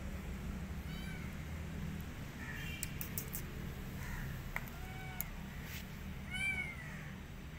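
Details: Rescued street kitten that wants to go back to the streets and refuses to eat, giving four short, thin, arching meows spaced a second or two apart, over a steady low hum with a few faint clicks and taps.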